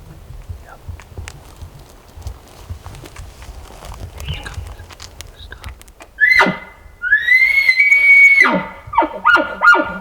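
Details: Elk in Colorado, part of a group drawn close by hunters calling during an over-the-counter hunt. After quiet rustling, a loud sustained high whistle rises, holds steady, then drops away, followed by short grunting whistles and abrupt downward breaks.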